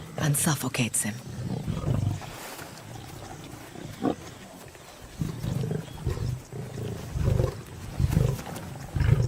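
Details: Lion from a clash between two rival prides: deep, rumbling growls come in several heavy bursts spread across the recording, with a short stretch of human speech at the very start.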